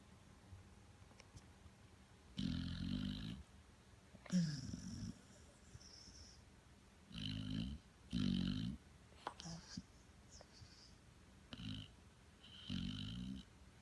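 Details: American Pit Bull Terrier snoring in short, irregular bursts, half a dozen gravelly, rattling breaths, some with a faint high whistle, broken by quiet pauses and small snuffles.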